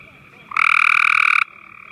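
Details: At Marshy Point on May 10, 2014, a gray tree frog calls to others in the area during a spring campout, giving a single close, pulsed trill just under a second long over a quieter background trill.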